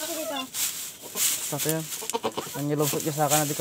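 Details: A newborn goat kid gives loud, quavering bleats with a rich nasal tone, three short bursts close together that end in a longer shaky cry, over a steady hiss and some nearby voices.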